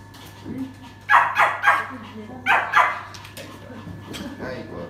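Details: Poodle with a queen-like temperament that bites, recorded indoors during a training session on the owner's mindset; sharp barks come in two tight bursts, three then two, over a steady low room hum with some human speech.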